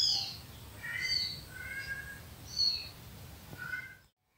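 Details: Recorded cat calls that pet cat Kitty hunts down as intruders in her territory: a run of short, high, tonal mews, some rising and some falling, following each other closely before stopping abruptly.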